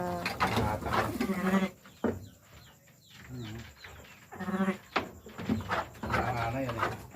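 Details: Lambing sheep giving two loud quavering bleats, one at the start and another about four seconds later, with human speech and rustling between them.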